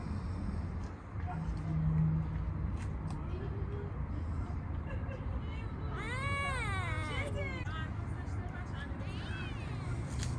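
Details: A stray kitten in a park, petted after feeding, lets out two arched meows in close succession about six seconds in, then a fainter third, after soft human speech, with steady low traffic hum throughout.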